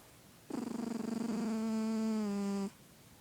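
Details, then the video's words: A sleeping male house cat named Bear, healthy by a vet's check, gives one steady two-second snore, a low buzzing drone that holds its pitch and then drops slightly before stopping abruptly, set against a quiet indoor background. "My snoring Cat Bear"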